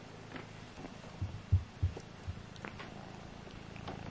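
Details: Kittens Alfonso and Amur tussle to see who is strongest; a deep, even purr hums underneath, broken by several soft thumps of paws and bodies.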